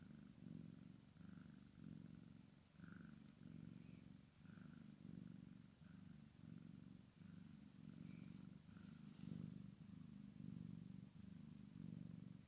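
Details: Low, throaty purr of a Maine Coon x Sphynx kitten playing with its mother, rising and falling in even breath-length pulses, with a few faint higher squeaks above.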